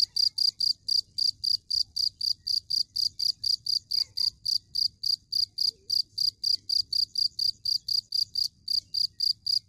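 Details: Cricket chirping steadily, a bright high-pitched pulsed trill repeated nearly four times per second over a faint low background rumble.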